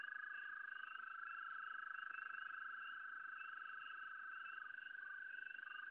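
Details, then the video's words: Frog calling at the same site: a steady, unbroken high trill holding one pitch, with a fainter pulsed trill above it and quiet background hiss. "Sonido de rana 2"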